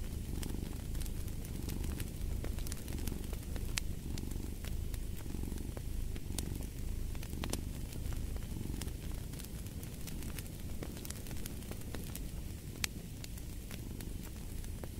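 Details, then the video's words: Purring cat by a fireplace, a low continuous rumble with gentle swells, partly blended with dense crackling and popping of the fire across the whole stretch. "Fall asleep to the Purring of a Cat & Fireplace"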